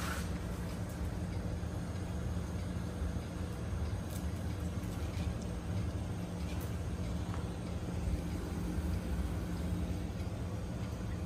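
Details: Steady low rumbling broadband noise, like a passing vehicle or engine, fills the whole stretch, with a few faint clicks and no animal voice.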